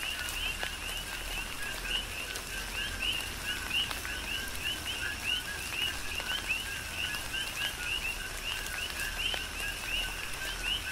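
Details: Chorus of coqui frogs during a tropical rain shower on the Big Island of Hawaii, many overlapping two-note calls, a lower note followed by a rising upswept whistle, repeated steadily, with raindrops pattering throughout.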